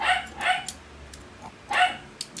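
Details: Pet Shih Tzu barking as scrambled egg is served at breakfast: two quick, bright yaps close together, a pause, then a third yap, with faint room noise behind.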